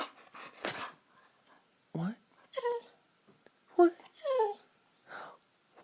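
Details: Siberian Husky indoors talking as she begs for treats: short whiny yowls and rising-falling moans alternate with a person speaking to her, the dog's vocal bursts rising in pitch near the end.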